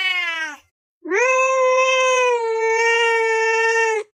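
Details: Cat calling with a short falling meow, then after a pause a sustained, level meow held for about three seconds at a steady pitch.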